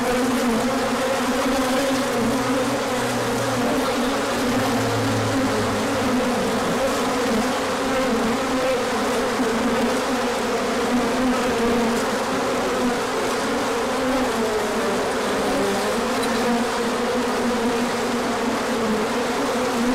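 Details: Many bees in a large orientation flight on 24 March 2024, out in the sun after colder days. Their wings make a steady, dense droning hum with layered buzzing tones and no pauses. A faint low rumble joins briefly early on.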